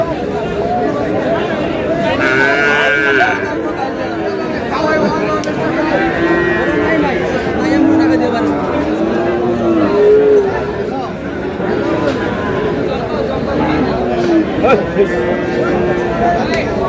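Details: Sahiwal bull calves at a crowded cattle sale on 24 February, being bought by a Cox's Bazar farmer. Short, arched moos repeat one after another over steady crowd chatter and men's voices haggling over prices.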